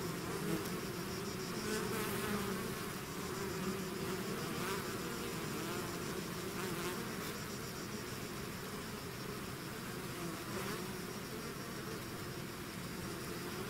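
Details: Bees swarming out of their hive, a thick rolling hum of many insects with occasional brief louder bursts as single bees fly close, otherwise constant droning.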